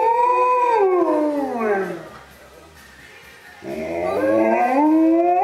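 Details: Alaskan Malamute howling twice in a funny compilation, each long tonal howl starting high and sliding steadily downward, separated by a quiet second-long gap.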